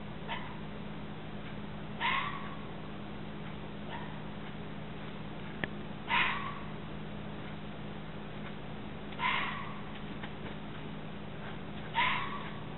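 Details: A red fox (Vulpes vulpes) gives harsh, raspy screams every few seconds over a steady low hum.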